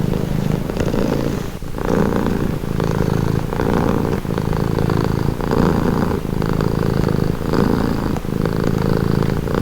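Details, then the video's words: Steady rumbling purr of a pet cat, throbbing with a regular inhale-exhale rhythm of short, deep, buzzing surges and a few tiny crackles between breaths. "Purring cat"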